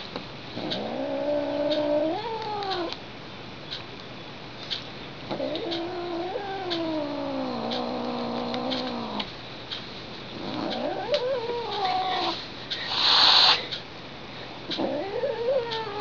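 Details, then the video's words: Indoor pet cat Lily howls in protest after a couple of taps, her caterwaul resembling a theremin: long sliding moans that rise, waver and fall, repeated four times with short gaps, plus a brief burst of rustling. "Cat as musical instrument"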